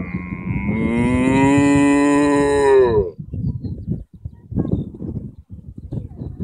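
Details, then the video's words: Cows on an Irish field: a strong, drawn-out moo that holds for about three seconds then drops away, followed by soft low rustling and munching-like bursts. "Talking with cows"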